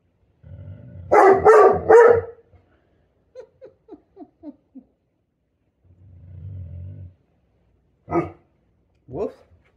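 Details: Great Pyrenees named Lady, a female pet dog, barking to warn away danger; three loud deep barks in quick succession, then a string of short soft whimpers, a low rumbling growl, and two sharp yips, with a person praising her.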